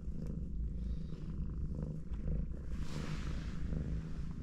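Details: A domestic cat family at rest, mom cat and four kittens snuggled together; low vibrating purr runs unbroken, joined by a short soft hiss of movement near the end.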